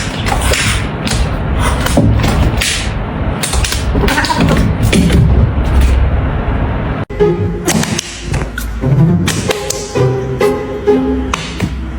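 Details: Heavy thumps and whip-like impacts over background music, with brief snatches of speech and no animal voice. Midway the sound cuts out briefly, then resumes with more music and talking.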